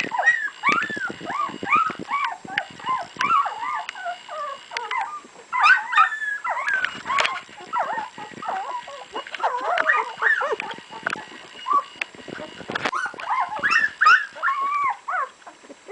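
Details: Litter of two-week-old puppies from Sami and Drake, many overlapping high whines and squeals that rise and fall, crowding together in continuous waves with brief pauses, a faint steady hum in the background.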